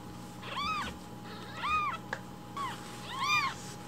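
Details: Three clear, drawn-out arched mews from a hungry rescued baby kitten asking for milk in the morning, spaced about a second apart over a quiet indoor hum.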